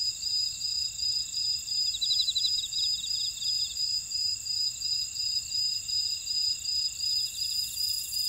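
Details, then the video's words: Field insects in a buckwheat field on Jeju Island, South Korea, keep up a steady high shrill drone and a rapid pulsed beat, with one rattling trill in the middle and a brief hiss of noise near the end. "제주 메밀밭의 풀벌레 소리"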